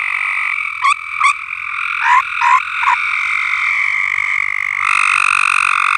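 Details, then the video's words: A frog chorus on a farm: a steady dense trill fills the air, with several sharp short croaks near the start standing out over the continuous hum. "Frogs Singing"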